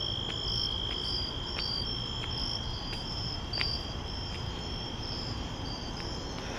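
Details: Crickets trilling at night as someone walks to the store, one constant high tone plus a higher stuttering pulse, accompanied by evenly spaced footsteps and a low rushing hum.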